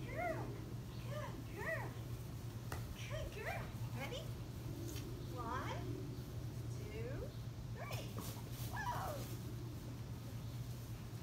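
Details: Black Labrador Retrievers Bess and Saucy on bath day indoors; a run of high, nasal whines with falling, bent pitch, repeated in short clusters throughout, with a steady low hum and human voices in the background.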